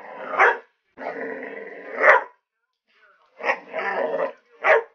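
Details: Dog going wild at an alligator head, alternating sustained harsh growl-barks with sharp single barks; loud, rough and agitated throughout, with a brief pause midway.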